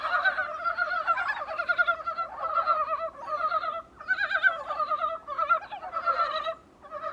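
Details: Dybowski's brown frogs recorded from a small room's window, a dense chorus of pulsed, clucking croaks overlapping in rolling bursts of about a second, with brief dips between groups and no other sounds.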